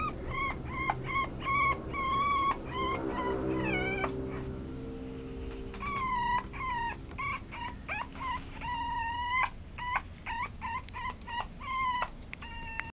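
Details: Toy poodle whining in clear, drawn-out tonal whimpers, some held for a second or more. Short yips come in irregular runs, with a brief quiet gap in the middle and a low hum underneath.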